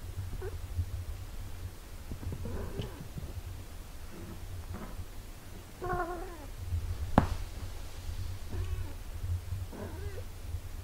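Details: A mother cat nursing and caring for her eight-day-old kittens; a few soft, scattered harmonic mews with one clearer wavering call midway, over a steady low hum.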